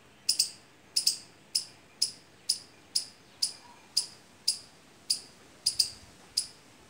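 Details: Squirrel in mango or litchi trees during the fruit season, uttering evenly spaced, sharp, high chips about every half second, a few doubled, with little else audible.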